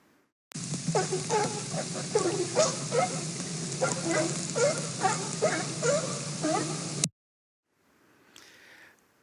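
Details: Orca that was rescued and raised by sea lions, copying sea lion calls, played back as an example of vocal learning: a six-second burst of rapid, rough, barking pulses repeated over two per second against a hissy background, then a faint trailing call.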